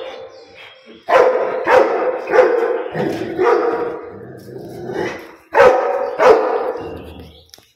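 A Rottweiler barks in deep, loud bursts, single and doubled, with short pauses between.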